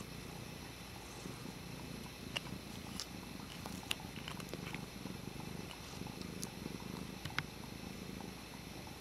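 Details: Domestic cat named Dutchess toying with a water bottle lid; a continuous low, throbbing purr fills the recording, with small clicks and taps scattered over it.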